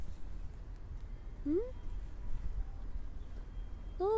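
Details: Street kittens fed in a yard, crying for food and attention: two short rising meows, one at about a second and a half and another near the end, each sliding upward, over a steady low rumble of background noise.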